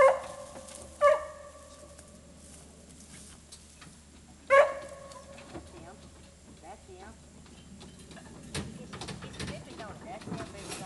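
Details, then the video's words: Dogs used for deer hunting give three loud, short, harmonic barks: two in the first second and one near 4.5 seconds. Quieter rustling, shuffling and faint voices follow over the remaining seconds. "deer hunting with dogs"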